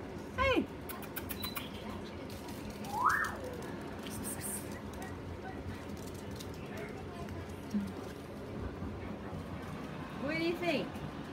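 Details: Chihuahua named Peanut "talks" in scattered short vocal sweeps: a sharp rising yelp at the start, a climbing whine midway, then a bent, wavering moan near the end, separated by long quiet stretches and faint clicks.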